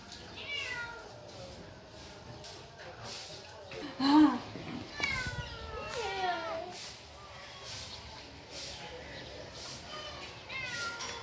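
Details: Cats and kittens meowing: several thin, wavering meows, some rising and falling in quick curls around five to seven seconds, over a steady background hiss with a brief louder thump near four seconds.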